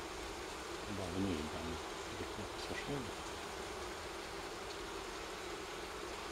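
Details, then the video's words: Buzzing of a wild honey bee colony, its four-comb nest taken from a fallen tree in a Kiev forest into a hive; unbroken low hum with short stretches of quiet talk in the first half. "Wild Honey Bee Nest Transferration From Forest Into Hive & Apiary, Kiev Ukraine"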